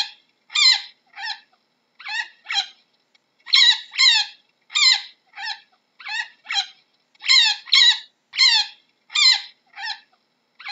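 A chinchilla gives short, squeaky, nasal barks in quick pairs and bursts.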